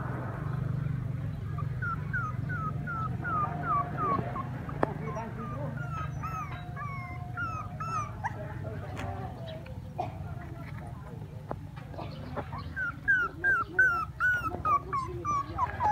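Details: Puppies at play crying with rapid, high-pitched whimpers and yips, many short falling squeals repeated quickly in bursts, growing louder near the end, over a steady low hum.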